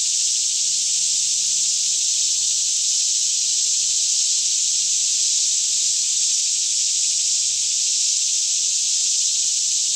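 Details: Daytime chorus of many cicadas singing all around in a green forest near Franklin, Kentucky, mid-morning around 10am, still air, stereo recording; an even, shrill wall of buzzing sound holds constant without pulses or pauses, faint low rumble underneath.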